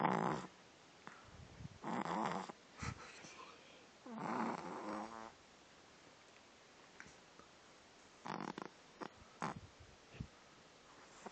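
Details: A female French Bulldog puppy snores lightly in rough, rattling breaths, a few seconds apart.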